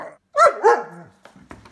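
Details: German Shepherd playing in the snow with visiting dogs: two loud rough barks in quick succession, then faint short noises trailing off.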